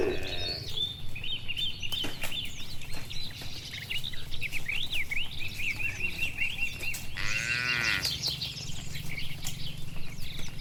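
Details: Evening scene of dozens of tame cattle strolling home to their shed along a village road; one long moo stands out near the end amid constant chirping and twittering birds.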